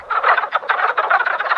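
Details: Wood frogs (Lithobates sylvaticus) at Twin Creeks, Great Smoky Mountains, in January after emerging from winter: a dense chorus of males giving rapid, duck- or turkey-like clucking croaks to attract females, calling that lasts one and a half to two months.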